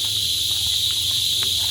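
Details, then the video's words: Insect locally called dangis, heard at Monkey Beach on Siquijor, said to sound like a bee and not to be a cicada; a steady, unbroken high-pitched buzzing drone fills the clip, with a faint low rumble beneath. "Para siyang bubuyog. Insekto. Hindi yan sikada. Hindi."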